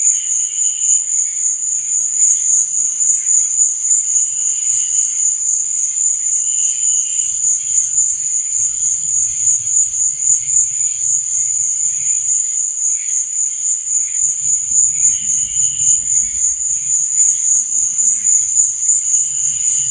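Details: Crickets chirp through the night in an unbroken, piercing high trill, with lower short chirps repeating roughly every two seconds and a faint low rumble in the middle and later stretches.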